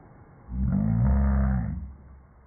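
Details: Django, a Rhodesian Ridgeback, growling at a vacuum cleaner he dislikes: one deep, steady, harmonic rumble lasting about a second, swelling and fading over faint background hum.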